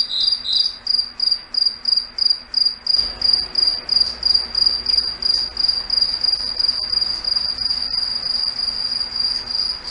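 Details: Foggy forest at night with crickets: a lower chirper drops out early, leaving a single high, almost continuous trill that pulses gently about one and a half times per second above a soft rumble.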